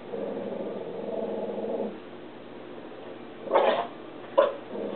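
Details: Jack Russell Terrier Alice watching PBS nature programmes: a low rumbling growl for two seconds, then two short, sharp barks, and the growl starting again at the end.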